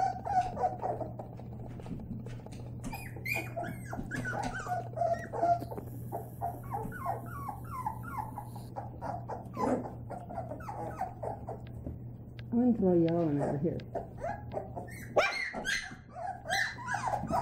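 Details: Playing white Labrador Retriever puppies fill a small room with overlapping squeaky whines and short yips, one louder wavering whine near the end, over a constant low hum.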